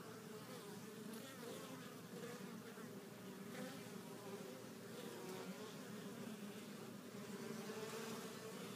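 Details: Honey bees returning to their hive with pollen of at least four colors, a steady, dense hum of many wings with layered droning tones throughout, continuous and unbroken.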